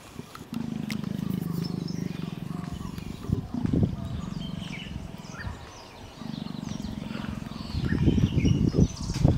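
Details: Leopards mating: a rough, rasping low growl held for several seconds, then a pause and a second long growl, ending in louder snarling bursts; faint bird chirps sound in the background.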